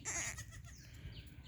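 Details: Black Bengal goat kept on a farm giving a short, loud, quavering bleat rich in overtones at the start, followed by a quieter stretch with faint rustling and low background rumble.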